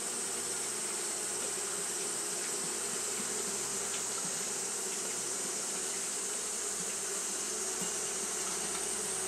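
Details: Japanese honey bees fanning continuously in hot weather, heard as a constant whirring buzz, textured and even, beneath a steady high hiss.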